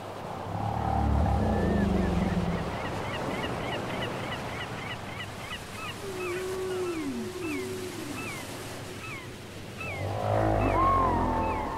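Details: Whale song off a cassette: a fast series of short high chirps repeated several times a second, a pair of drooping mid-pitched moans in the middle, and low rumbling surges at the start and end.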